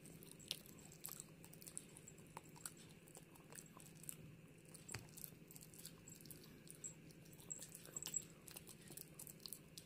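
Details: A female Pomeranian chews a dog chew with sharp, irregular crunches and wet clicks, with some background noise.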